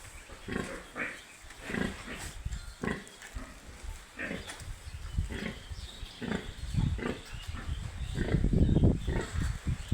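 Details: Baby pigs on a farm making quick low grunts and short squeaky bursts, about four per second in uneven clusters, getting louder toward the end, with rustling underneath.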